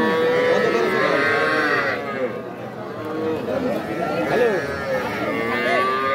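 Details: At Aftabganj cattle market in Nawabganj, Dinajpur, on 5 September, cattle give scattered drawn-out moos that bend up and down in pitch, while nearby men talk and haggle.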